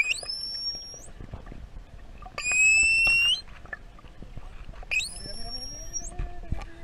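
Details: Curious juvenile pilot whale off Tenerife in the Canary Islands, answering a person's whistles, recorded underwater with a hand-held GoPro: three bouts of high, pure whistles rising in steps with bright overtones, a lower sliding tone after, and crackly water noise.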